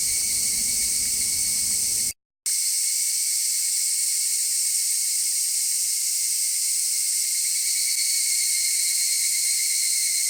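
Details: Constant shrill cicada buzzing, even and unbroken; during the first two seconds a low rumble of distant traffic lies beneath, then after a brief cut the rumble is filtered away, leaving only the high insect drone.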